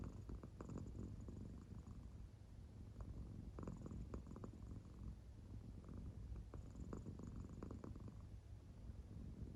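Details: American Shorthair cat in deep sleep indoors, purring quietly; a soft low drone punctuated by short breathy clicks and swells at irregular intervals.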